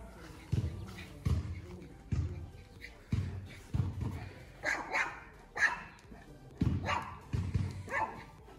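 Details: A male Alaskan Malamute barks deep and loud, guarding his territory against another dog that has shown up.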